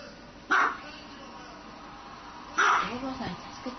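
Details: Dog giving two sharp barks two seconds apart, the second followed by softer, trailing vocal sounds.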